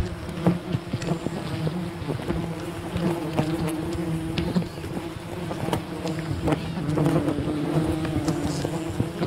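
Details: Continuous humming drone from a wild bee colony while honey is gathered, layered buzz tones with brief sharp taps and rustles throughout, slight surge near the end.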